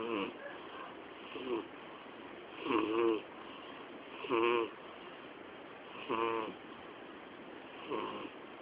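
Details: Sleeping domestic cat, a twelve-year-old female named Miyabi, snoring loudly indoors; rasping snores with harmonic buzz recur irregularly, roughly every one to two seconds, over a steady background hiss.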